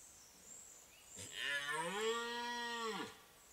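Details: Giant red deer stag during the 2024 rut, giving one long, drawn-out bellowing roar of nearly two seconds. The roar is deep, steady and richly harmonic and drops away at the end, over quiet surroundings.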